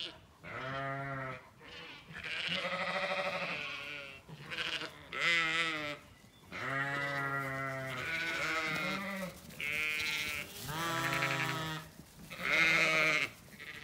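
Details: Several Zwartbles ewes calling for dinner on a County Kilkenny farm in Ireland, sunny orchard before apple blossom: a dense, overlapping chorus of wavering, harmonic bleats, some rising and falling, nearly continuous with brief gaps.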